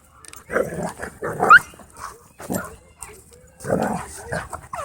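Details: Dogs playing at a dog park give rough, broadband growling bursts, roughly four separate outbursts across the span, with faint background noise between them.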